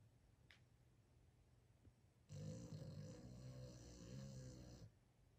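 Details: Boston terrier asleep, letting out one drawn-out, low, rattling snore of about two and a half seconds after a quiet stretch of soft breathing.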